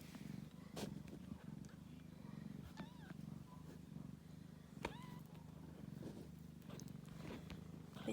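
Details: Ragdoll kittens with their mother, kept warm on cold days and nights: steady low rumbling purr throughout, broken by a few short, thin mews rising and falling, the clearest near three and five seconds.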